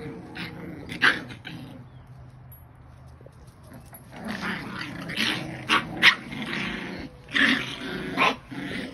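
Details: Scottish bull terrier, Scottish terrier and English bulldog puppies fighting: rough, noisy growls and harsh snarling bursts come in clusters, quiet stretch in the middle, then several loud sharp bursts near the end.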